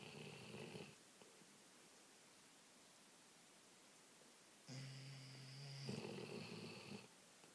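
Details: Two Labradors snoring on the couch, answering each other: a rasping snore at the start, a long quiet stretch, then a longer droning snore with a steady low hum, in a quiet room.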